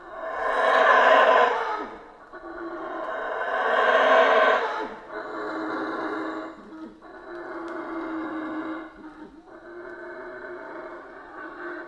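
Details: Central American rainforest howler monkeys: two loud, grating roars about three seconds apart give way to quieter, steady moaning howls repeated every two seconds or so.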